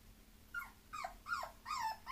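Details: Bulloxer mixed-breed dog, a Boxer and Bulldog cross, giving four high whining whimpers that slide downward, each about a quarter second long, at roughly regular intervals, in a quiet room.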